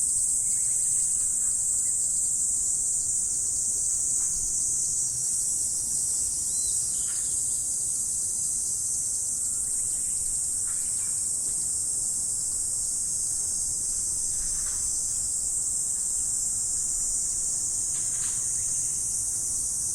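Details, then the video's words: Insects calling in autumn in the morning: a dense, steady high-pitched trill forming an unbroken shimmering band, with faint scattered ticks beneath and no other clear sounds. "Morning Insect Sound Effect"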